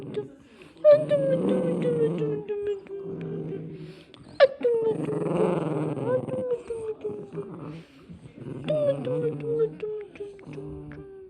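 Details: Cavalier King Charles Spaniel named Atom snoring while asleep: drawn-out nasal whistling tones that slide downward, with rough breathy rasps, in about three long breaths.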